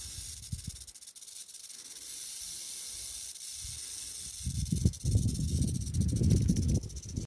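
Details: Arizona black rattlesnake (Crotalus cerberus), a venomous pit viper of the southwestern United States, rattling: a steady high hissing buzz throughout, with low thumps and rustling handling noise growing louder in the second half.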